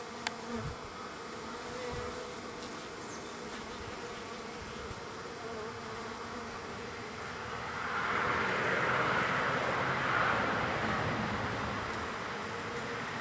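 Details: Lots of wild bees arriving at a feeder on the third day, a continuous low hum joined after about eight seconds by a louder, broader rushing buzz that persists to the end, with a few faint taps early on.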